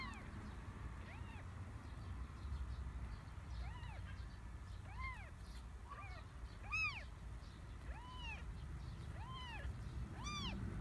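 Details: Three kittens of a stray cat in a garden, found moving well and healthy; a run of about nine high, arched meows, some doubled, spaced roughly a second apart over a constant low hum.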